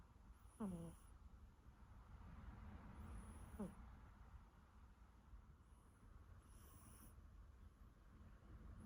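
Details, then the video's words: Sleeping Siberian Forest kitten snoring: a sharp squeaky wheeze that drops in pitch, then a softer one three seconds later, with light breathy hisses between them and a constant low room rumble. "Siberian kitten snoring"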